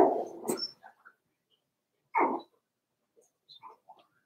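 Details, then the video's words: Four-week-old Cavalier King Charles Spaniel puppies of Daisy's litter in their indoor pen, giving short whimpering yelps and squeaks separated by quiet gaps, with a soft rustle early on. "Daisy's Cavalier Puppies Livestream: 4 weeks old"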